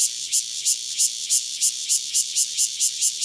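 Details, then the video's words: A single Cryptotympana takasagona cicada near Dona village, KaoHsiung County, sings in high, harsh buzzy pulses, around eleven swelling bursts in quick, fairly regular succession. "5- Cicada Cryptotympana takasagona, single, near Dona village, KaoHsiung County"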